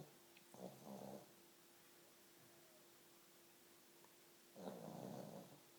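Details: Sleeping pug snoring in a room: two rough, rattling snores several seconds apart, each a buzzy rumble lasting under a second, with near silence between and a faint steady hum.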